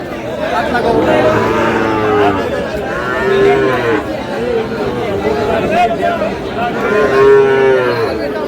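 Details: Busy morning sale of Sahiwal bull calves at Dinajpur's Aftabganj market, 13 June; long tonal lows overlap one another in waves, a clearer one near the middle and one near the end, with market chatter beneath.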